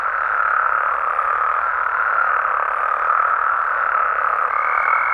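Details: A nocturnal chorus of frogs in Mexico: a thick, continuous mass of croaking with slight swells in loudness, and a high, steady tone joining briefly near the close.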